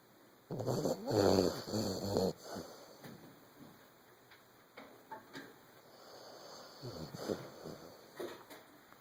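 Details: A 14-month-old Vizsla snores in rough, rumbling breaths, loudest at the start and fading to softer wheezes.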